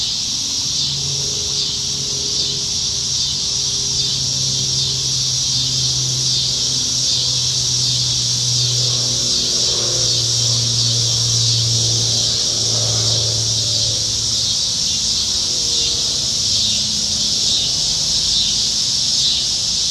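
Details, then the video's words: Cicadas singing up in the trees on a summertime evening in Nebraska, July 2019, when they are plentiful. A steady, dense high-pitched shrill drone runs throughout, and a low humming drone rises and fades in the background midway. "Summertime Evenings in Nebraska - Cicadas"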